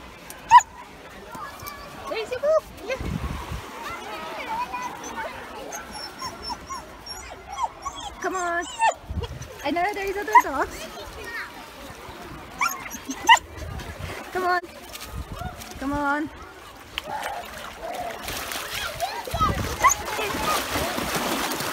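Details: Yuki, a male Samoyed, making his happy, excited 'complaining' noise at a UK beach on a 31-degree day. High, whiny yips and whimpers rise and fall over steady people's chatter, with a few sharp higher squeaks.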